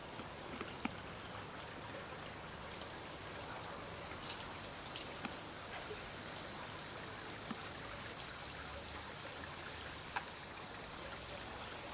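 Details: Steady rain patters and drips throughout, with scattered sharp drop impacts over a constant wash of water noise and no animal calls.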